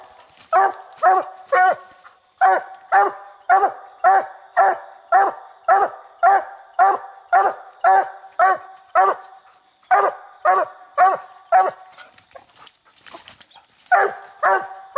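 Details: Coon-hunting hound Bandit barking treed on a raccoon in a little tree, said to bark over seventy times a minute; a fast steady chain of barks, nearly two each second, with brief breaks and a faint background whine.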